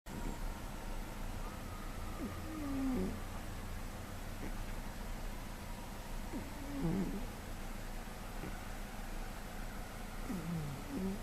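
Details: Domestic cat, a heavy sleeper, snoring while asleep, recorded May 2013: soft, low rasping breaths recur about every four seconds over a steady faint background hiss.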